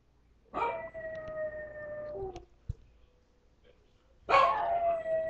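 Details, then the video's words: Pet dog howling when it thinks it is alone: two long, steady harmonic howls, the first about 1.5 seconds and sliding slightly downward, the second starting loudly after a pause, with faint clicks between. "Howling Dog"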